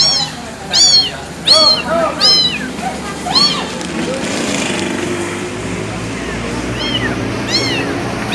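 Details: Abandoned kitten meowing: high, arched, harmonic-rich mews repeated in quick bursts, about four in the first few seconds, then a quieter stretch before two more cries near the end, over a low background murmur.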